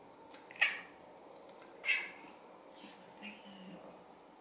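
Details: Indoors, a silver tabby cat chatters at the camera with cute meows as an orange tabby behind it makes a flehmen face; three short meows spaced over about four seconds, the last one softer and drawn out.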